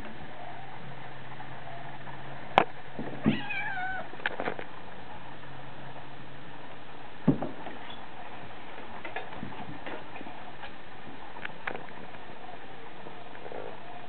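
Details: Hungry house cat meowing for food: a wavering meow early on, then short fainter sounds and scattered clicks over a constant low hum in a quiet indoor space.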